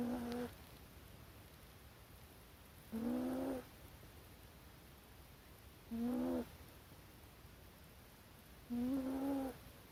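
A corgi puppy snores in short, tonal, slightly rising hums about every three seconds.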